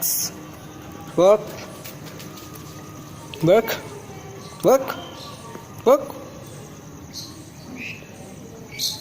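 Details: Seven-month-old Rottweiler dog barking: four loud, deep, harmonic barks, each short and abrupt, spaced about one to two seconds apart, over a low steady background hum with no other clear sounds.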